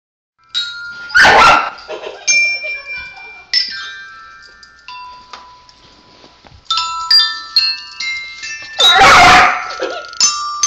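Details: Pet dog named Kitty reacting to a child's ringing bells she dislikes: two loud, harsh bark bursts, one near the start and one near the end, separated by clear, sustained, high bell tones that ring and fade.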